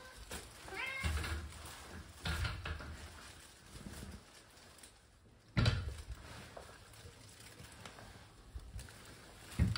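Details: Lonely Ragamuffin cat following its owner into the bath, giving a few soft, drawn-out meows spaced a couple of seconds apart indoors, with low rumbling room noise and occasional thumps between the calls.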